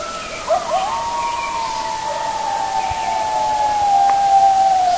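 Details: At nightfall at Hokyoji, coyotes break into song: a long, drawn-out howl slides slowly downward after a few brief yips.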